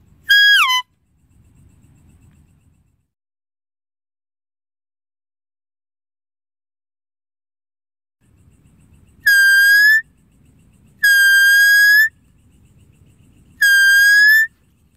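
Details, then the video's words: Deer calling with high, clear whistled notes, each slightly rising and ending abruptly. The first comes alone, then three more follow close together after a long quiet stretch, with a faint low rumble in between. "Deer Calling Sound"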